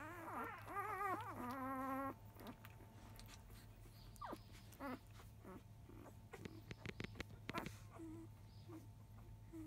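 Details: Newborn field-type Labrador Retriever puppy, five days old, at 10 a.m. nursing indoors, mother biscuit a 2017 JFA grand champion; loud wavering harmonic whines for two seconds, then softer scattered squeaks and clicks over a steady low hum.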